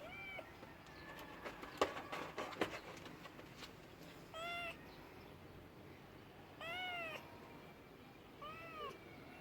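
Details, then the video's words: Cat meowing: three short arched meows, each rising then falling in pitch, spaced a few seconds apart, with clicks and handling noises in between against a steady background hiss. "Funny cats sounds"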